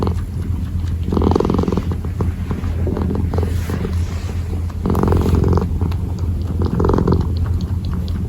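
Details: A kneading kitten purrs steadily, the low hum rising into louder breathy surges around the middle and end, heard at very close range.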